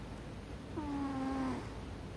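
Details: Single drawn-out snore from an American Shorthair cat, Ame-chan, dozing on a chest of drawers: a steady, slightly falling nasal drone lasting under a second, richly layered, in a quiet room.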